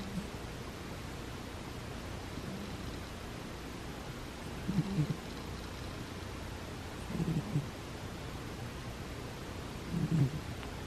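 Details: Butters, a pet cat, sleeps indoors and snores: short, low, rough breaths rise from a steady hiss about every two and a half seconds, three clear snores in all, in a quiet small room.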